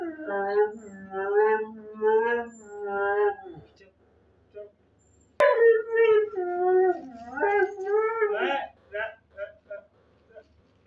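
A Siberian Husky gives wavering, talkative howls and yowls, calling its mother for food.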